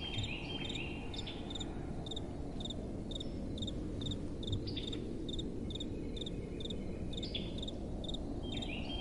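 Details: Night-time crickets chirping in a gentle wind, short paired pulses repeating roughly every half second, high and bright, above a constant low wind hiss.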